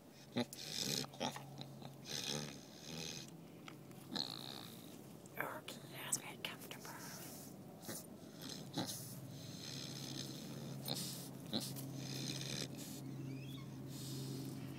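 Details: Byron, a boar, naps on a sunny December afternoon, the last day of 2010. He snores in rough, breathy bursts, with low rumbling noises repeating irregularly every second or two, under soft human whispering and occasional rustling.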